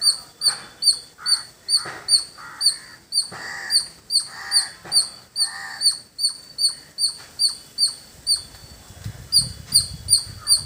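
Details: Village squirrel giving a run of shrill, clipped chips, roughly two or three each second, evenly paced. Coarser mid-pitched bird calls overlap during the first half.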